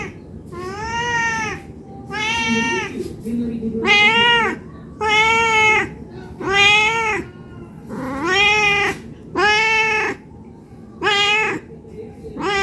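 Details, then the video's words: Domestic cat meowing non-stop, begging for food because it is hungry, indoors; drawn-out harmonic meows that rise then fall, about eight in a row, roughly one every one and a half seconds, with faint background murmur. "Suara Kucing Meong Meong Non Stop"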